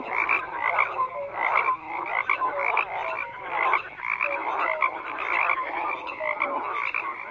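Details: Continuous wall of croaking frogs, rough pulsed calls overlapping with scattered short pure notes, the chorus swelling and easing every second or so.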